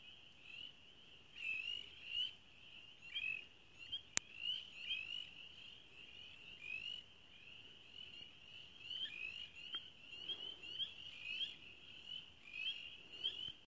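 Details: A dense springtime chorus of frogs and toads at a nature center: high, overlapping chirps and peeps rising and falling in waves.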